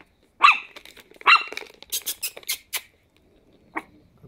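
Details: Chihuahua puppies at 10 weeks old, Charlie and Penny's litter, playing indoors: two high yappy barks, then a quick run of sharp clicks and squeaks, and one last short yelp near the end.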